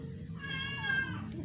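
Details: Dying rescued stray cat, kept indoors, not eating for twelve days and failing after a vet visit with injections; a faint, drawn-out wavering meow over a low hum, with soft background music.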